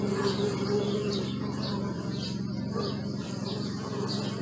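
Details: A low, steady bee hum, recorded with a Sony Alpha 6000, carries on beneath frequent high-pitched bird chirps, with the droning briefly dipping slightly near the middle.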